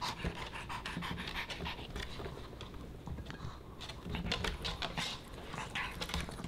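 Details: Boba Bear, a Pomeranian puppy, snacking on dog-friendly fish and chips indoors: a steady run of sharp, crisp crunches and chewing clicks mixed with quick panting breaths throughout.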